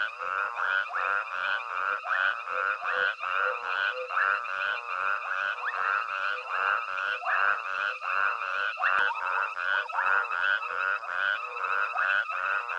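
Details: Frogs calling together at night at Hwange Safari Lodge as elephants forage close by; rapid, continuous croaking notes repeat more than once a second, layered and rhythmic, forming a thick unbroken chorus.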